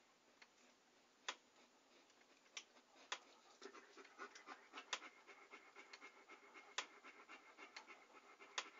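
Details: A dog panting, recorded close up for relaxing ASMR listening: soft breathy bursts with sharp mouth clicks, spaced irregularly at first, then growing quicker and denser toward the end.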